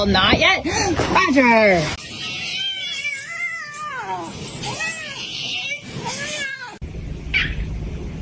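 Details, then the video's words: Kitten meowing: a series of arched, falling-rising harmonic meows spaced about a second apart over steady background noise, after a loud noisy opening burst. "Kitten meowing"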